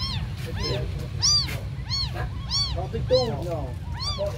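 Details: Abandoned kittens crying in quick succession, about seven bright arched meows, with lower quieter meows between them over low rumbling noise.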